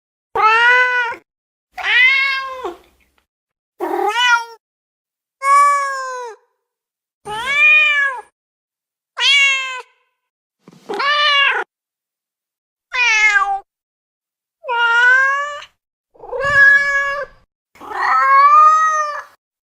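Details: Domestic cat meowing: eleven loud, clear, arched meows spaced about every one and a half to two seconds, each rising then falling with rich harmonics, in near silence between calls.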